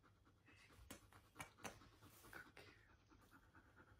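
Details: Brief, fast panting from a husky being introduced to a new puppy: rapid breathy huffs, roughly four each second, with a few sharper broadband puffs and faint background noise.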